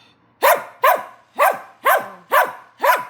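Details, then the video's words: Puppy calling out for help: six evenly spaced, sharp yelping barks, each arched up and down in pitch, coming roughly every half second in a steady insistent series. "도움요청하는 강아지"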